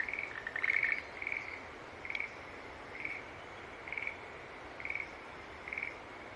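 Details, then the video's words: Green tree frog giving short buzzy notes spaced just under a second apart, with a louder burst of overlapping calls near the start, then steady single notes over a soft hiss. "Sounds of Green Tree Frog Call"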